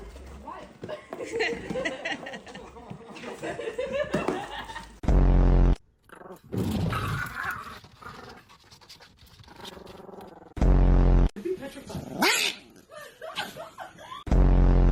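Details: Yorkshire Terrier; growling bark; expressing anger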